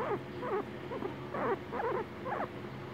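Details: A male guinea pig gives short, wavering squeaks, repeated roughly twice a second, while his owner talks to him.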